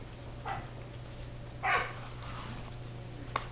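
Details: Shetland Sheepdog puppies, 7.5 weeks old, playing indoors in a great room, climbing, wrestling and barking; a few short, high puppy barks and yips spaced over several seconds, with a steady low hum in the background.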